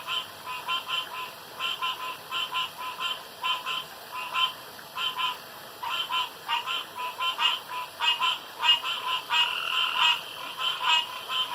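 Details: Frogs around a pond in the dark keep up a busy chorus of clipped, grating croaks, roughly one and a half per second, overlapping in bursts and growing denser toward the end.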